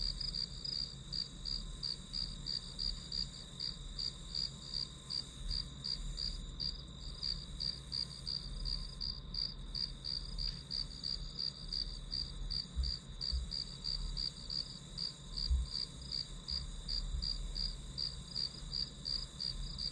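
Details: Grass insect calls in a study-with-me background, sharp high chirps pulsing nearly three times per second for twenty seconds, a few faint low knocks and a steady hum below.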